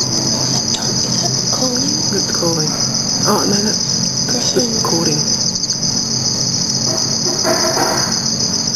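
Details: Captive black field crickets (Teleogryllus oceanicus) in a nighttime study setup under red light, shown mating and in aggression. A continuous high-pitched trill runs steadily while people talk quietly in the middle of the recording.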